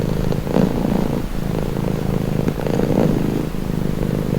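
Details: Relaxing purr of a pet cat, a low buzzing rumble rising and falling in slow breath cycles roughly every two to three seconds, steady and close.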